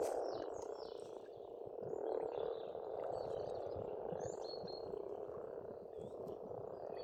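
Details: Many frogs croak together at a pond in spring in Estonia, a thick rolling chorus that swells slightly around two seconds, overlaid by faint distant bird chirps and twitters higher up.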